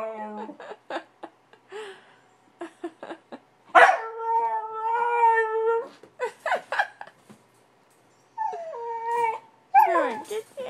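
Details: Angry puppy kept indoors after going potty outside, stubborn and wanting out to play: sustained harmonic howling whines, some wavering, mixed with short yips and sharp clicks and scratches, rising again near the end.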